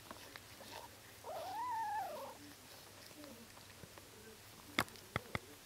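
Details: One-day-old Bengal kitten giving a single thin mew that rises then falls over about a second, clear and tonal with faint harmonics, followed by a few sharp clicks and small rustling sounds in a quiet room.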